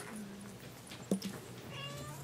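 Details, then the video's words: Kittens indoors in a small room: one short, sharp mew rising and falling quickly, heard once against a low steady hum and faint household background. "bébés chatons"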